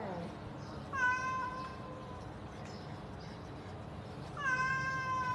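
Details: Cat giving two bright, clear meows about three seconds apart, each starting with a quick rise and then holding a steady pitch, over a low constant background hum.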